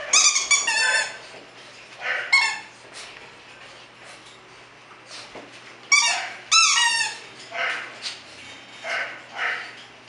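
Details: Bulldog puppies in Florida yipping and whining, with bright, harmonic squeaky cries in clusters, a louder double burst near the middle, and softer breathy whimpers between, over a faint low hum.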